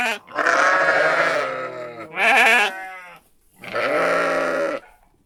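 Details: Three long, loud, wavering sheep bleats follow one another with brief pauses, each with a nasal, quavering tone that wobbles in pitch before trailing off.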